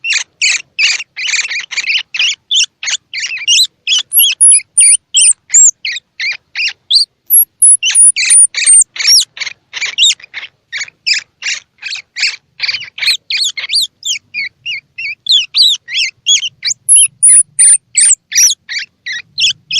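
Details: Baby squirrel calls, used to stimulate young squirrels with eyes open or still closed to feed: a dense run of short, harsh chirping squeaks, nearly three per second, broken by thin, very high whistled notes that drop slightly at their ends.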